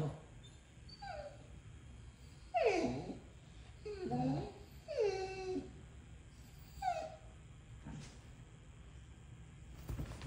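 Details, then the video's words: Dogs quarrelling over a toy, with rescued dogs involved: soft, high whines and sliding whimpers, a few drawn-out downward moans between quieter pauses, over a steady low indoor hum. "Two dogs argue about who gets the toy."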